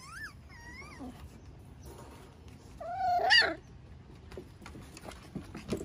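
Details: Five-week-old Miniature Schnauzer pups with parents Max and Hilda on a deck one Sunday morning; two rising-falling whines open, then a louder strained yelping whimper near the middle, followed by quiet rustling and soft clicks.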